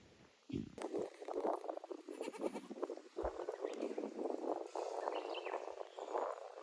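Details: Goats at Yoshigake goat farm, a handmade farm, on their new playground built 9 May 2024 with a balance beam and narrow slope added to an aerial walkway; one long, wavering, mid-pitched bleat lasting about six seconds, rough and pulsing.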